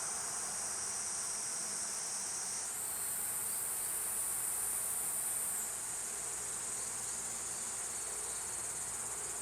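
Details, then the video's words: Continuous shrill buzzing song of Platypleura kuroiwae. The drone climbs to a higher pitch partway through, holds there for a few seconds, then drops back to its earlier level. A faint low background hum underneath. "クロイワニイニイ 鳴き声"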